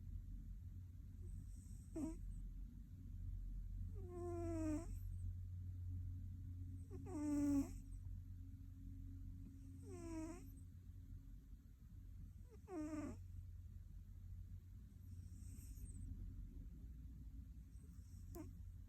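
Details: Sleeping male cat snoring: raspy, harmonic-rich snores recur about every three seconds over a steady low background hum.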